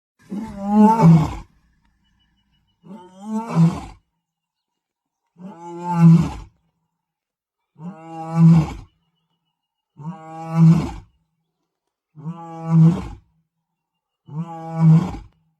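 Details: Osupaat, a male lion patrolling his territory on the Masai Mara plains, roars in a series of deep, throaty, moaning bursts, each about two seconds apart.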